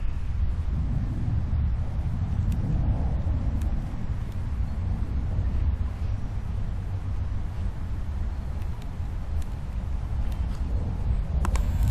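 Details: Outdoors, a heavy low rumble like wind or passing traffic fills the whole stretch, with a few faint clicks and no animal calls.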